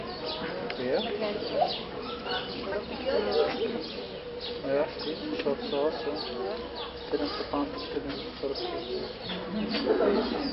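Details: Meerkat (Suricata suricatta) babies with their family give a busy stream of short, high chirps and peeps, with many voices overlapping.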